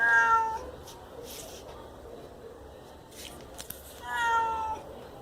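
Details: A whiny grey domestic cat, probably hungry and thirsty, indoors. It gives two drawn-out, slightly falling meows, one at the start and one near the end, with quiet room noise between them.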